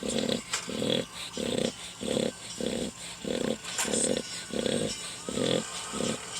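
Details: Loud snoring from a sleeping pet dog, a regular series of short grating low snores, about ten over six seconds, evenly spaced with brief quiet gaps between breaths.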